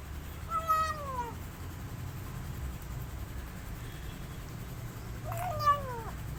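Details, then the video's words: Rescued male kitten calling while he eats, missing his mother: two clear, thin meows that rise briefly then slide down, about five seconds apart, over a low hum. "New Rescue Kitten Making Sweetest Sounds While Eating But He Is Missing His Mother Cat"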